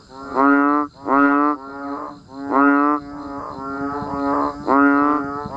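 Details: Banded bullfrogs and other frogs calling in the rain, in a natural outdoor setting: deep, nasal, bleating notes about half a second long, several callers overlapping, with a fresh call roughly every second.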